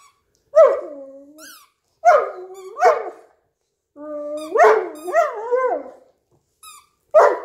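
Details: Lying on the couch too lazy to stand, Hugo the Newfoundland plays with a squeaky toy, letting out short whiny moans and rising-falling grumbles separated by pauses, with brief high squeaks from the toy.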